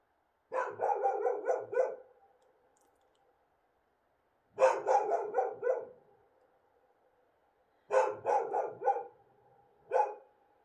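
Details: Free-roaming wild dogs in Morocco bark at night under a bright moon, calling regularly back and forth in quick, rough bursts of several barks, with pauses of a few seconds between.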